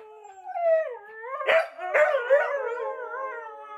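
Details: Three Siberian Huskies left home alone for 20 minutes give drawn-out, wavering howls and yodelling whines, voices sliding up and down and overlapping, broken by two sharp yips midway, howling while waiting for owners' return.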